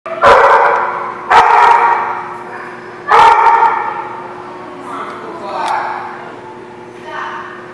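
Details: Dogs recorded on 12 November 2015 give three loud, ringing barks in the first three seconds, followed by quieter yelps. A steady low hum runs underneath.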